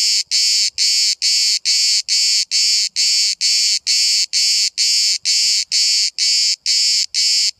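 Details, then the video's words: One of hundreds of cicadas calling all day at Bodrum, Turkey, recorded from 5 cm: a rapid regular series of intense, dry buzzing pulses, about two per second, with faint low rumbling beneath. "The charping of the cicada"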